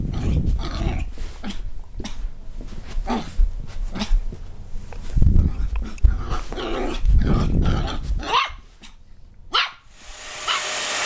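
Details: Border Terrier barking and growling in a run of gruff, rough bursts over a heavy low rumble. The bursts come irregularly, then give way to quieter gaps and a brief hiss near the end.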